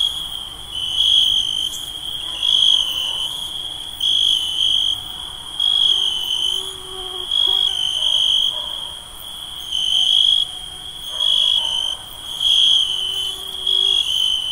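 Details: Night ambience of crickets in summer: a continuous piercing trill broken into pulsing bursts of about one to two seconds, rhythmic and unbroken, with a faint low hum beneath.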